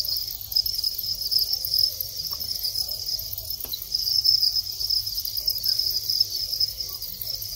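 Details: Adult male Thai crickets calling during the breeding period in a rearing setup, a sustained piercing trill that swells and fades slightly, with a faint knock around the middle.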